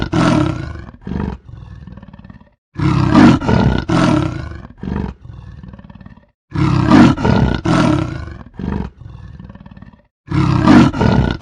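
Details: A leopard in the jungle roars in deep, rasping bursts, repeated in short series of loud grunts.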